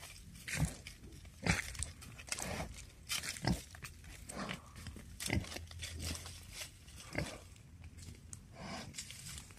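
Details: Wild boar (Sus scrofa), called in and coming to meet people, give short, rough grunts and snorts at uneven intervals, with crunching sounds between them. Wild boar.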